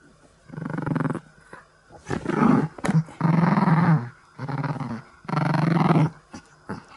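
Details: A Chihuahua growls in rough, rumbling bursts of about a second each during a tug-of-war game with a string from its favourite toy, growling while asking to play.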